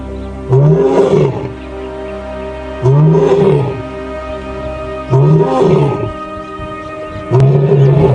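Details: Lion roaring: four deep, rough, drawn-out roars, each lasting about a second and coming roughly every two and a half seconds, over a steady background of soft music.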